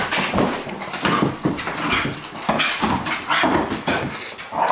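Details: Cairn Terrier and Flat-coated Retriever at play together indoors; short whiny whimpers and yips mixed with breathy growls and bumping, packed tightly with almost no pauses.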